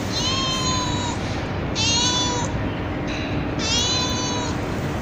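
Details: Kittens of a street cat meowing on a terrace at night after being fed; three drawn-out, high-pitched meows, each about a second long with short pauses between, over steady background hiss.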